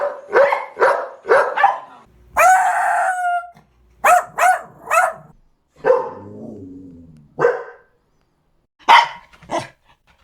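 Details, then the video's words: Loud dog barking in uneven bursts, broken by a drawn-out, high whining note. It ends with lower, grumbling barks and a final pair of sharp yaps. "Dog Barking Sounds"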